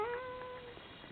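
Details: One-day-old Komondor puppy from a litter, giving a single drawn-out tonal whine that starts bright and slowly sinks in pitch, then trails off into a quiet room.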